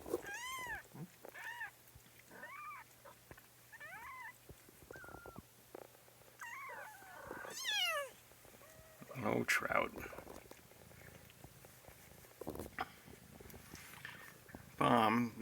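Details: Kitten from a litter, complaining about being picked up indoors: a rapid run of high, arched, harmonic meows, each rising then falling, about one per second for eight seconds, followed by human speech and handling noises.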